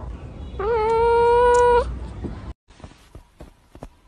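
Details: Domestic cat giving one drawn-out meow lasting over a second, a steady, slightly rising tonal cry with rich harmonics, followed by quiet room noise and a few soft clicks and taps.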